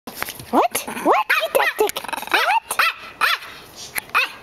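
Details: A six-year-old female Long-haired Chihuahua, once rescued from a puppy mill, excited at home. She gives a rapid run of short, sharply rising whines and yips, about eight in four seconds, some slurring upward then dropping.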